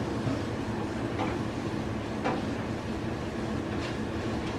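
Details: A steady broadband rumble like a moving train or vehicle runs throughout, with a few faint short scrapes and no animal call.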